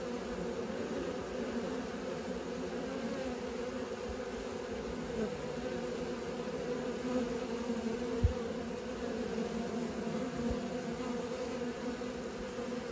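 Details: Steady droning hum of honey bees learning to fly, a low buzz with a brighter upper band, continuous and even, with a single soft knock partway through.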